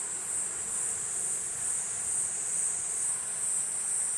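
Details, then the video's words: Platypleura kuroiwae producing its high, sizzling buzz that swells and eases gently in a slight pulsing rhythm without ever stopping. "クロイワニイニイ 鳴き声"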